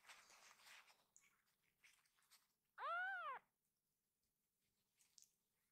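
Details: Rescued baby kitten indoors, one of several running excitedly to their caretaker to be held; a single loud arched mew lasting about half a second, rising then falling, with soft rustling before and quiet after.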